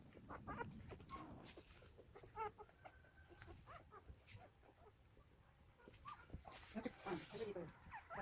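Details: A litter of nine one-day-old Golden Retriever puppies born to a young mother in Nampyeong-eup, Naju, Korea, gives thin, high, rising, nasal squeaks and whines in brief irregular bursts, while people talk in the background throughout.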